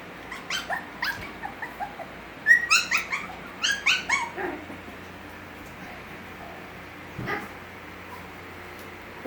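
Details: Gracie's Havanese puppies, six weeks old, make scattered soft yips before a clearer cluster of sharp, high yelps in the middle, then near-silence with one faint cry late on.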